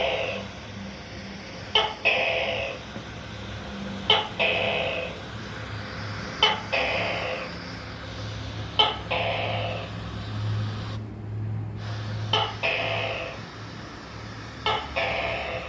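A tokay gecko gives loud, nasal, barking calls, each opening with a sharp click, repeated about every two seconds.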